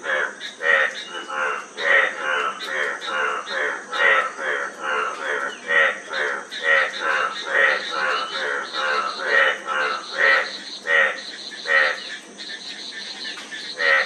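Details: Several frogs call together in an overlapping chorus of fast, raspy, harmonic croaks, forming an almost continuous rattling stream, with a steady high hiss underneath.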